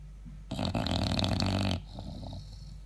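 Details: An English Bulldog, asleep and snoring loudly, gives one long, rumbling, rattling breath through the nose and throat, with a person talking afterwards.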